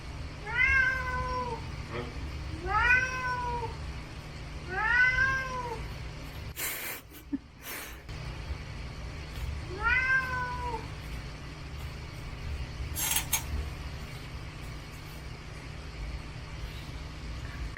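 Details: Pet cat grabbing at the fridge and crying in protest, apparently wanting the dried sardines once stored there; three quick whining meows, a pause with a rustling bump, then one more meow and a later knock.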